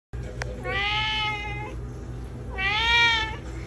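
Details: Domestic cat giving two long, clear harmonic meows about two seconds apart, each rising slightly then holding steady, with a low background hum and a faint click at the start.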